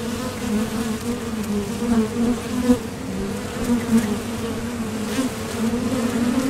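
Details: At a Top Bar Hive entrance, honeybees heading out for nectar and returning produce an even, layered low hum, pulsing gently as bees pass close by.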